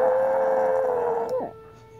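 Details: An old female Chihuahua howls along with a siren for what seems the first time, holding a long quavering note before it drops away.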